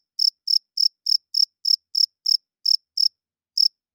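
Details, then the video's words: A night-singing cricket gives bright, piercing chirps from wings rubbed together: ten steady pulses about three per second, then a half-second pause before one final chirp. No other sounds. "40 Minutes of Cricket Chirping Sounds - Cricket klinkt 's nachts luid"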